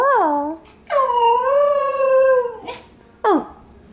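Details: Pet dog singing: a short descending note, then a long smooth howl with gentle pitch waves lasting about one and a half seconds, a brief noisy burst, and a sharp falling yelp.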